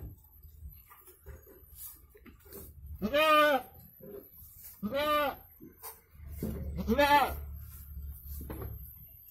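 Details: Goat giving birth to two kids in Indonesia, calling three times with strong, quavering bleats a second or two apart, over low rumbling background noise and a little distant voice.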